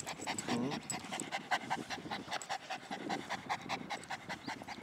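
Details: Boston Terrier, one of a family of five Boston Terriers with a Pekingese, on its first visit to a park; rapid rhythmic panting in quick breathy bursts, with faint birdsong and a brief spoken voice nearby.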